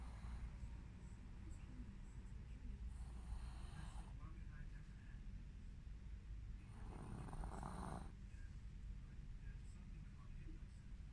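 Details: Dog snoring: two long, rough, breathy bursts, one near the start lasting about four seconds and another around the seven-second mark, over a steady low rumble and faint high hiss.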